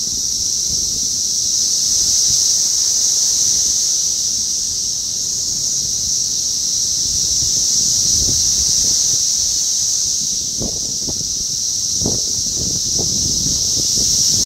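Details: Brood X 17-year periodical cicadas (Magicicada) outside an apartment building in North Bethesda, Maryland, USA, on 9 June 2021; a dense, unbroken high droning chorus holds steady throughout, with faint low rustles and soft thumps beneath.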